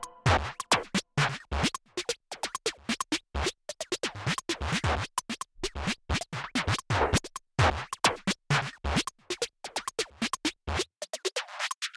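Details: Electronic music with turntable scratching and punchy drum-machine beats, with no animal voice anywhere.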